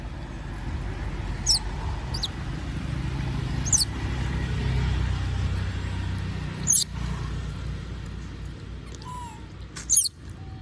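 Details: Squeaky begging from Moby the monkey, who wants food while others eat peanuts: several short shrill cries scattered irregularly, a faint coo near the end, and a loud low rumbling background.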